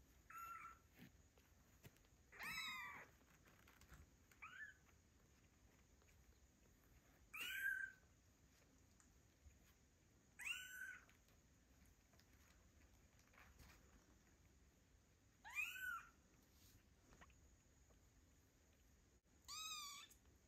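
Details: Two-week-old fluffy kittens meowing loudly, calling for their mother after play; high, wavering mews come in separate bursts every few seconds over a quiet, faint background hiss.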